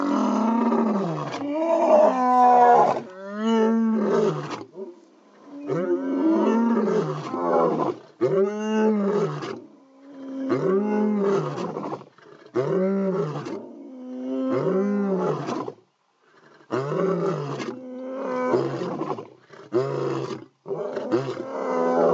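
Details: Two male lions give their early morning calls, deep, moaning roars in a steady series, each call swelling and falling away.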